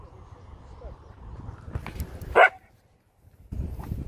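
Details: Chihuahua giving one sharp, loud bark near the end of a stretch of low background murmur and voices, followed by near silence and then renewed low noise.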